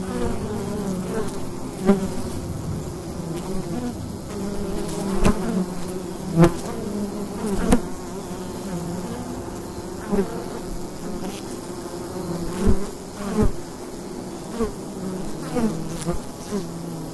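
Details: Many bees droning around the entrance of a wild hive on a fall day, a recorder set right at the opening; constant deep hum with rising and falling fly-by buzzes every second or two and occasional sharp clicks.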